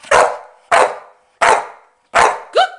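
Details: Staffordshire Bull Terrier bitch counting in barks on her owner's command, giving four abrupt, rough barks at even intervals of roughly 0.7 seconds, then a woman's voice says praise at the end.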